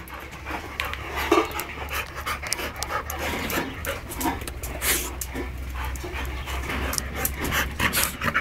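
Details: Female Labrador Retriever, one of two kept in Navojoa, Sonora, Mexico, panting steadily with fast, breathy, rasping bursts throughout, a low constant hum underneath, and a person speaking briefly in Spanish nearby.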